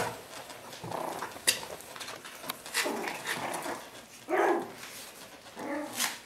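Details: Five one-month-old Yorkshire Terrier puppies playing and play-fighting with each other indoors. They give short, rough, low growling bursts, the clearest two near the end, amid steady rustling, scratching and chewing noises.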